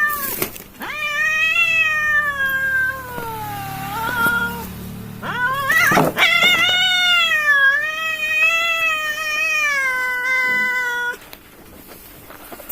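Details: Two village cats fighting: long harmonic-rich wailing yowls, one from about 1 to 5 seconds sliding downward, a sharp burst near 6 seconds, then a sustained wavering howl until about 11 seconds before fading to quiet.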